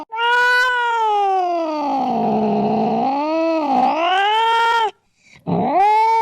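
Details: Cat heard in a sound meant to frighten rats: one long, loud, drawn-out yowl that sags in pitch, wavers and climbs again over nearly five seconds, followed by a brief pause and a shorter rising cry.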